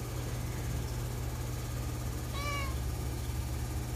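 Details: Shadow, a cat sitting in a loaf pose with curled feet, gives one short meow that rises, then falls slightly, over a steady low electrical hum.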